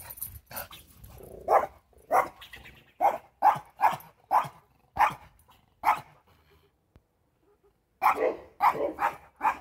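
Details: Pomeranian barking at a squirrel, its nemesis: a rapid series of sharp, high yappy barks roughly every half second, a pause of about two seconds, then another quick burst of barks.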